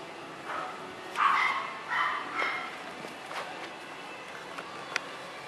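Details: Cassi, a red Toy Poodle puppy three months old, gives a few short, high yelping whines in quick succession, then falls quiet as faint household rustling continues in the background.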